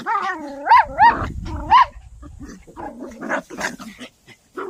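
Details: During a summer walk and play, a poodle gives rising, squeaky harmonic whines in quick succession, then shifts into grunting, rumbly growls and short yaps.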